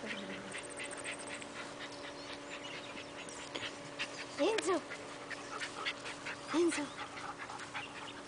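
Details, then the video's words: Bull Terrier puppy playing, unafraid, with bigger dogs; two short harmonic whining yelps, one midway and one near the end, over scuffling, panting bursts, faint human voices and a steady electrical hum. "Bull Terrier Puppy Playing"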